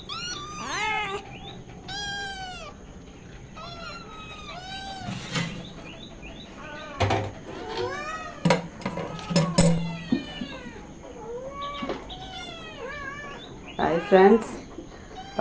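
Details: A mother cat and her kittens, hungry and demanding milk, give a chorus of loud, wavering meows. Some calls rise then fall, others are short and insistent, overlapping irregularly, with a woman speaking now and then.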